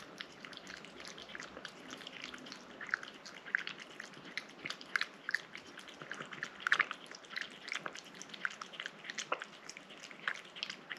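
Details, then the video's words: Close recording of a house cat eating a wet snack: irregular licking and chewing clicks, building to denser bursts of wet smacks midway, quiet indoor background. "고양이 물 간식 먹는 먹방 ASMR(?)"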